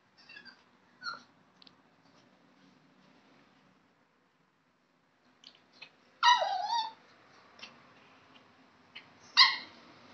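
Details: Pet dog indoors in a small room giving a few high whining whimpers, the loudest a falling whine near the middle and a sharp yelp-like cry near the end, separated by quiet stretches with faint scuffling.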